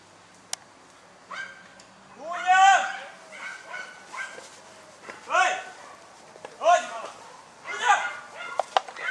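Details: German Hunting Terrier named Dunja barking during a wild boar hunt: high, harsh, strained barks in short bursts roughly every one and a half seconds, with quieter pauses and faint clicks between them.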